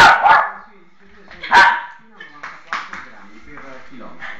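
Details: A nearly 10-year-old Lhasa Apso gives two sharp, harsh barks while tenaciously fighting, with a man talking behind.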